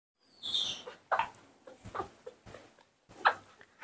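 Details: Newborn baby monkey being hand-raised, crying at its scheduled milk feeding time; a high, thin squealing cry opens, followed by short scratchy bursts and soft handling clicks.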